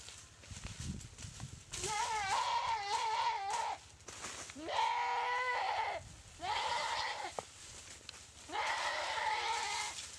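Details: Goat bitten and paralysed by a Komodo dragon in a dry river at Komodo Village: four long, loud wavering bleats, each about one to two seconds, with strong stacked harmonics, separated by short pauses over a steady low hum.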